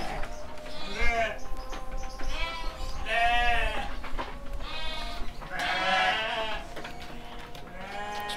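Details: Young male sheep, seven months old, at a breeding farm in Kediri, Indonesia: drawn-out wavering bleats about every two seconds, some overlapping, with a steady low hum and faint talk behind.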